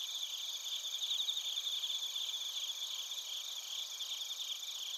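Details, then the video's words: Crickets, including bell crickets, calling in Narita, Chiba Prefecture, Japan, captured on a TASCAM Portacapture X8. Overlapping high-pitched pulsed chirps form a continuous buzzing wall of sound, briefly louder near the first second. "スズムシとコオロギの鳴き声 - Chirping of crickets"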